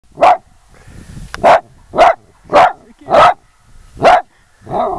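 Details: Dachshund performing outdoors in the snow in Banff, barking in a steady run of six sharp, loud barks about every half second to second, followed by a softer whine at the end.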